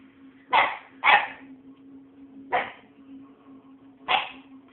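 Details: Puppy barking on bonfire night, keeping the household awake; four loud barks, two close together then two spaced about 1.5 seconds apart, over a low steady hum.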